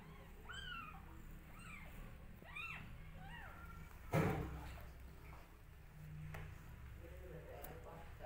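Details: Two-day-old newborn kittens nursing from their mother cat; thin, high arching mews come in a quick series over the first three seconds, then a sudden thump and quieter rustling with a few faint squeaks.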